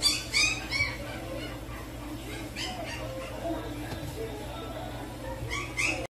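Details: A short-haired black-and-tan Chihuahua puppy, small and described as a bit timid until it adapts to a space, gives a few high, squeaky yips, then falls quiet before yipping again.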